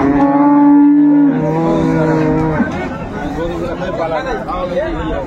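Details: Dairy cow of an improved breed, with her female calf, at Ambari cattle market in Dinajpur, 22/4/24: a loud, steady, deep moo held for over a second, then dropping lower before breaking off, with busy market voices afterward.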